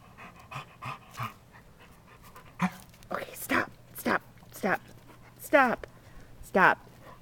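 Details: Chesapeake Bay Retriever barking excitedly at 4 AM outside by a creek while playfully attacking a crawfish; short bursts of sharp, harmonic barks and yelps come in irregular clusters, mixed with a woman talking and handling noise.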